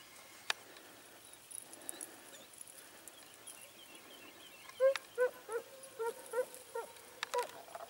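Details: Segugio Italiano scent hounds, smooth- and rough-coated, hunting hare in Sofiko, Evros, Greece, 18 October 2015: a faint quiet stretch, then a quick run of about eight short, even yelping bays, with occasional clicks and rustles.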